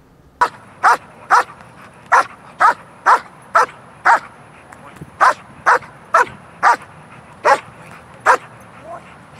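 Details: Dog in protection training barking in short, sharp, evenly spaced bursts, about two per second, a dozen barks in steady rhythm with little else heard.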